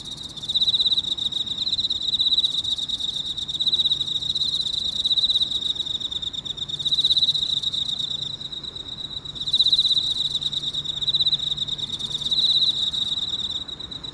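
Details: Early morning, 6:54 on 30 August 2018, an Emma field cricket chirps from inside a hole in a park, a clear, high, trilled pulse repeated steadily in rolling phrases.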